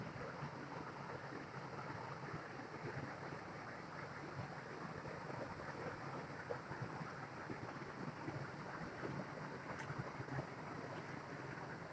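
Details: Steady rushing water from a waterfall fills the recording, with no animal calls.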